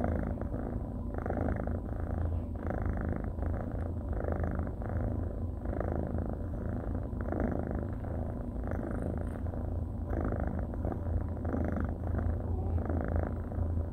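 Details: Cuddly orange and white tabby male kitten purring continuously, a deep even rumble that swells and eases roughly every second, steady and close, with nothing else heard.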